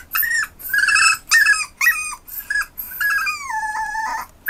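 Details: Westiepoo puppy indoors, July 2015; high tonal whines and yelps, rising then falling, in short bursts about twice a second, ending in a long wavering whine.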